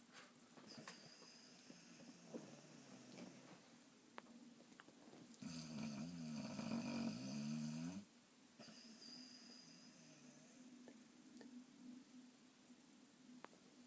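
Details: Sleeping Boxer lets out a loud, wavering snore of about two and a half seconds, rising out of softer, breathy snoring and faint room noise before and after.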